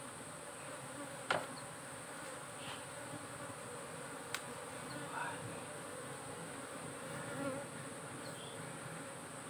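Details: Cultivated honey bees droning steadily within a monitored hive box; the level buzz carries on while a loud tap lands near one second, a crisp click around four seconds, and faint rustles follow.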